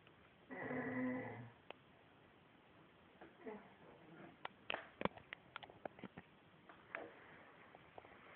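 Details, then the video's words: Indoors, the female dog Shamsa, said to talk, utters one rich harmonic moan of about a second, then a quiet stretch broken by a cluster of sharp ticking and tapping sounds. "talking dog"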